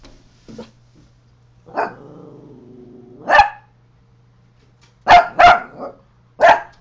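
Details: Coton de Tulear barking at a neighbour: a faint yelp, then a drawn-out low whine or growl rising into a bark, followed by a quick triple bark and one more sharp bark.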